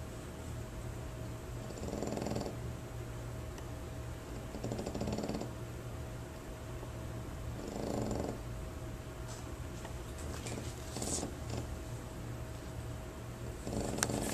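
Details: French Bulldog snoring while boarding at a dog training facility: rough, rattling snores repeating roughly every three seconds, each lasting under a second, over a steady low electrical hum in a quiet room.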